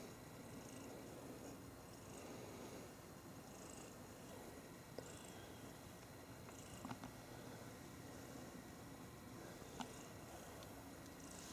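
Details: Two pet cats cuddling and gently play fighting, a quiet continuous low purr rumbling beneath room noise, with occasional soft clicks and faint high chirps in the background.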